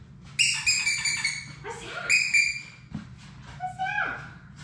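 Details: Six Labrador Retriever puppies playing in their indoor play room, watched on a live puppy cam. High, thin whines and squeals carry stacked overtones and come in short bursts, the last sliding downward, over a low room hum.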